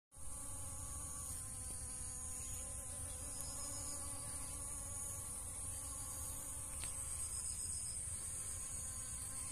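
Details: Honey bees gathering nectar from dragon fruit flowers: a steady, low droning hum with layered overtones runs unbroken throughout, over a constant thin high-pitched hiss.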